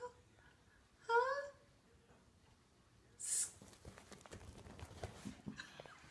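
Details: West Highland White Terrier named Wolfgang, dreaming of a squirrel while asleep indoors, gives one brief, wavering, whining whimper early on, followed by a soft hiss, rustling and scattered quiet thumps in a small room.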